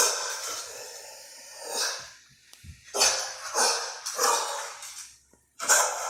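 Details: Dog barking indoors at a Hampton Bay Huntington III ceiling fan: six harsh, broadband bursts spaced unevenly over six seconds, each fading out, with quiet gaps and faint breathing between.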